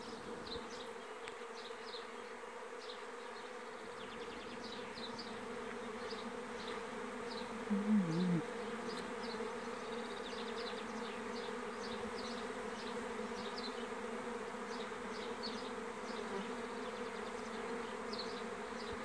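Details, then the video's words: Swarming honey bees recorded on 27 May 2016 in Lithuania: a steady, dense, low humming drone throughout, with faint higher buzzy ticks above it and a brief louder burst near the middle. "Bičių spiečius 2016-05-27"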